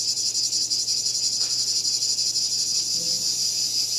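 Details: Cicada calling: a steady, loud, high-pitched shrill drone that stays level throughout, with a faint low hum underneath.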